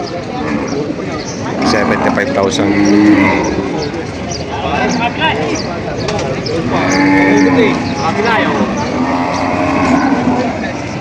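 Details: Breeding cows and heifers at the Padre Garcia, Batangas cattle market, July 17, 2026; two long, droning moos, one near three seconds and another near seven, under steady market noise and people talking prices.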